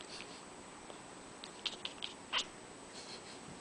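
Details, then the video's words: Indoor cat watching birds fly outside a window, twittering like a bird to attract them: a few quick, high, clicky chirps in a short cluster midway, over faint room hiss. "Cat twittered like a bird"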